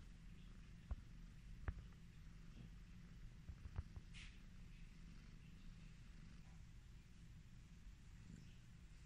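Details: Purring from an affectionate pet cat under a stroking hand, a low continuous throb, with several sharp clicks early on and a brief soft rustle near the middle.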